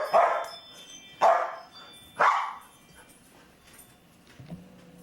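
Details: Three loud, single barks, about a second apart, from Luca, a chatty foster dog at home around the holiday season, followed by quiet and a faint low hum.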